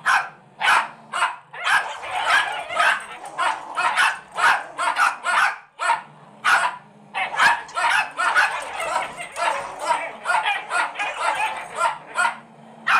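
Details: Pair of rescue Rat Terrier fosters barking during dog play, one dressed in a sweater; rapid high-pitched yapping in long volleys, a short lull near the middle, then renewed fast barking to the end.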